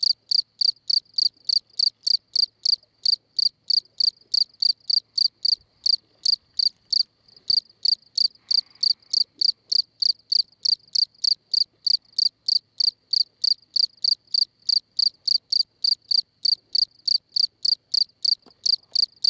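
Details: At La Brenne, France, on 20 May, a field cricket keeps up a long, even series of shrill, high chirps, roughly three per second, briefly interrupted near the middle, with faint low background sounds.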